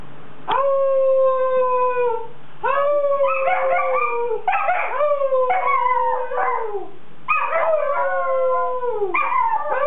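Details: Weimaraner puppy howling: long sustained howls sliding slowly downward, several rising-then-falling notes broken with yips, each howl lasting about one to two seconds with brief gaps between them.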